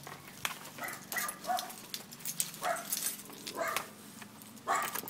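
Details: Dogs greeting someone coming home on a hot summer day in Houston, Texas, in a house with a dachshund, an old beagle and a large mixed-breed dog: short sharp yips and barks every second or so over scratching and shuffling.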